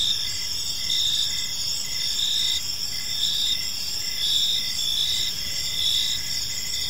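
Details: Evening cricket chorus in a quiet park, a continuous shrill trilling with gentle rises in loudness every second or so, set against faint low ambient rumble.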